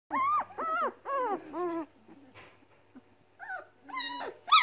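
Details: Hungry Weimaraner puppies, seven in a litter of four females and three males, kept in a house while their mother refuses to feed them. Harmonic, arched whines come in quick bursts, a quiet pause, then rising moans return louder.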